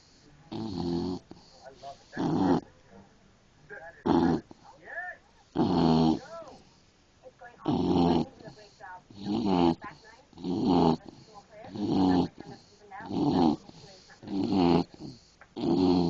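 An English Bulldog snores in loud, rasping bursts roughly every second or two, with a nasal whistle between some breaths.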